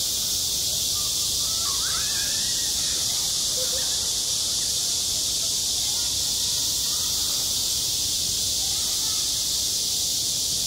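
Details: A school playground in the heat of summer, cicadas keeping up a dense, shrill, unwavering buzz; faint far-off children's voices appear briefly early on.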